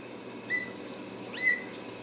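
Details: Two thin, high squeaks from Ragdoll kittens in a central Kansas home cattery, the first flat and brief, the second sliding upward then level, over a quiet room hiss.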